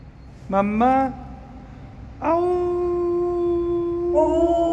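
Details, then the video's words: Household dog Kani howls indoors: a short rising yelp, then a long, steady, harmonic howl held over two seconds, ending with a brief higher wavering note. "카니의 하울링~아우~"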